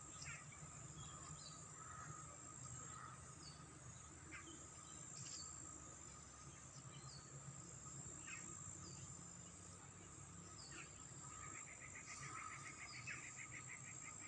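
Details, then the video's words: Grasshopper chirping in a Pakistani village valley at the start of autumn in pleasant weather; a buzzy pulsed trill late in the clip over a steady high insect hiss, with scattered short bird chirps and whistles throughout. "natural sounds of birdsvoices/grasshopper/frogs"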